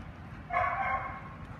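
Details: Ollie, a young Australian Shepherd in his first week of a board-and-train obedience program, gives one drawn-out, steady tonal bark of under a second with clear layered overtones against a quiet background.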